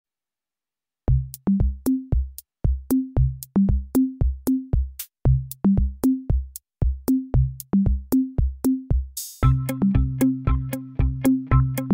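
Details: An electronic drum-machine beat plays: pounding bass kicks and tuned thumps repeating in a steady pattern, thickening into a fuller synthesized groove after nine seconds.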